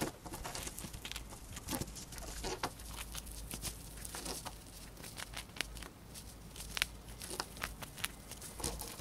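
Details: A female pet hamster indoors gnawing a dried corn and finishing it fast. Dense, crunchy crackling and sharp chewing clicks patter steadily throughout, with brief louder snaps over a soft background hiss.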